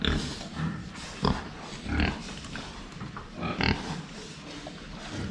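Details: Pen of pigs drinking water from the front: quiet low grunting with a few louder clipped snorts near the start and middle, over a background of splashing and rustle.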